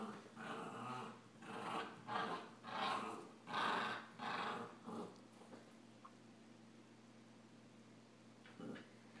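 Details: Two puppies, a Samoyed and a Rat Terrier, play fighting: a run of rough, throaty growl bursts about one per second for five seconds, then mostly quiet with a faint squeak and a last short growl, over a low steady hum.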